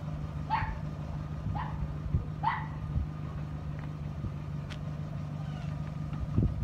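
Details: Border Collie puppies: three short, bright yelps, each bending down in pitch, come about a second apart in the first three seconds, then stop, over a steady low engine-like hum.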